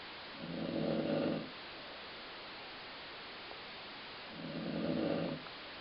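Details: Two rough, low snores from a dozing dog, each lasting just over a second and spaced about four seconds apart, resembling a growling stomach, in a quiet indoor setting.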